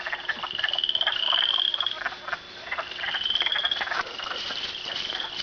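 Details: A dense frog chorus at Canupawakpa Trail: high, rapid trills and pulsed peeps overlapping without pause.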